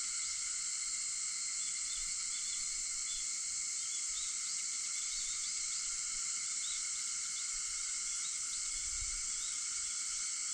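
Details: Early-morning cicada chorus recorded at 4:50 am on 4 August, a continuous high, hissing buzz with several steady shimmering layers; a brief soft low thud near the end.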